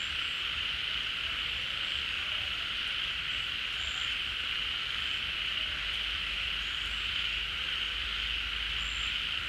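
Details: Many frogs calling together at a pond in the rainy season as water returns, the animals coming out of dormancy and hiding holes; a dense, unbroken high buzzing drone with faint scattered higher chirps.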